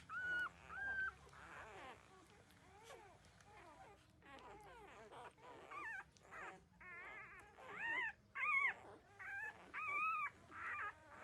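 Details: Newborn puppies, 13 days old, nursing from their mother and drinking milk; high whimpering yips and squeals, some rising then falling, come in short bursts roughly every second, getting louder toward the end, with faint suckling noises between.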